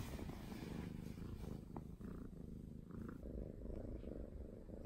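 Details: Norwegian Forest Cat purring while seeking affection indoors, a steady low rumbling throb with small brief higher murmurs around the middle of the stretch.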